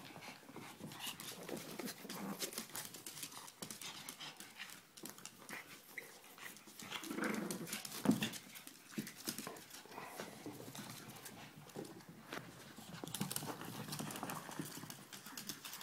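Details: Puppies Ella and Duke at play, giving low rough growl-like grumbles mixed with panting and constant scrabbling, thumping movement noises throughout.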